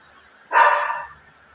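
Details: Single short bark from Bane, a phantom silver poodle in Bolinao, Philippines: an abrupt, fairly loud yelp lasting about half a second before dying away, against near-silent surroundings.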